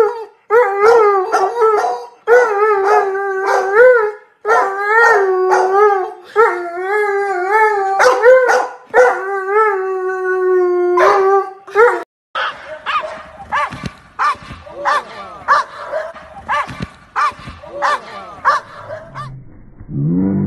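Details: Dobermann dog giving long wavering howls with rich harmonics in uneven bursts for about twelve seconds, then shifting to a rapid series of short, sharp barks that fade out near the end.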